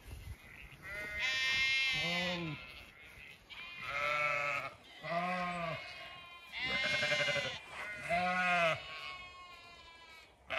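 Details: Zwartbles ewes and lambs bleating in an orchard on a regenerative farm in County Kilkenny, Ireland, in evening sun; four loud, harmonic bleats about two seconds apart, each wavering and roughly a second long, between quieter background bleats.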